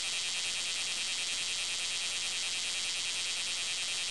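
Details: Bear cicada in Japan, a dense continuous buzzing drone high in pitch with a faint pulsing texture, steady and loud throughout with no other sounds standing out.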